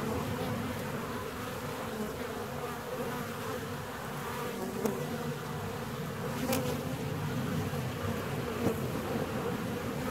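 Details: Honey bees in a hive 17 days after splitting hum as a steady, massed drone, with three sharp knocks breaking through near the middle and end.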